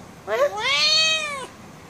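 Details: Female cat Oyster, annoyed and wanting to be let out, gives a short rising chirp that runs straight into a sustained, level meow which drops away at the end.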